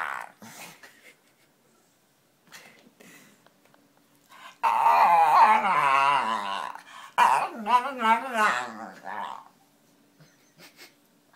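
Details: Pet dog making funny noises: quiet scattered sounds at first, then a loud, sustained, wavering harmonic groan-whine lasting several seconds, a brief break, and another warbling vocal burst.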